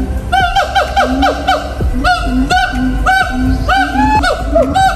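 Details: A siamang at Faunaland Ancol zoo in North Jakarta, amid tall trees, gives loud, repeated whooping calls with booming low notes between rising hoots.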